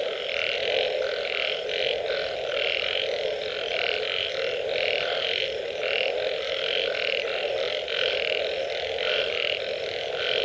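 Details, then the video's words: Following rain, frogs call in a loud pulsing chorus: clipped, bleating croaks come in quick bursts, several callers alternating and overlapping over an even background hum. "Unbelievable Frog Sounds after Rain"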